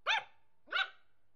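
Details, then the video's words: Nervous Yorkshire Terrier puppy named Bobik giving two short, sharp, high yappy barks about half a second apart in an otherwise quiet setting. "nerwowy szczeniak york / Bobik york terrier nervous (puppy)"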